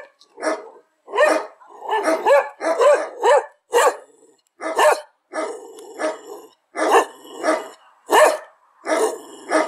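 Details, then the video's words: Domestic dog giving a string of loud barks at irregular spacing, some doubled, each bark abrupt and clipped, with faint high background hiss between. "El sonido del perro.Ladridos de perros."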